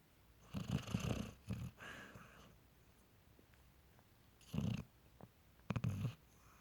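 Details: Dog sound asleep during movie night, snoring away: low rumbling snore bursts of about half a second to a second, four or five spaced irregularly across seven seconds, with quiet pauses between in an indoor room.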